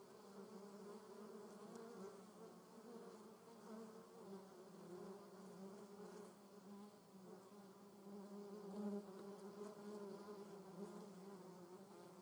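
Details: German wasp in a garden, giving a low, even buzzing hum in flight that grows louder toward the end as it comes closer, then fades slightly.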